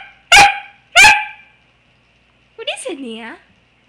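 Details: Pembroke Welsh Corgi puppy playing with its owner on a couch indoors, giving two sharp barks about half a second apart, then a short whining yelp, with a woman talking to the dog around it.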